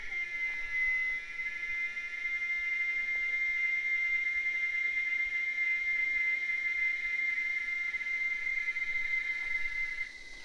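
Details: Cicadas singing in the wild in the sertão of Bahia, Brazil: a steady, piercing whine holding one high pitch without break for the whole stretch, with fainter overtones above and a quiet background.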